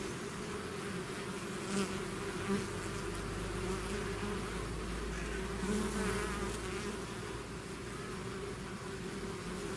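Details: Natural buzzing of a bee swarm emerging from the hive, constant droning hum with several louder close passes of single bees and a faint low rumble beneath.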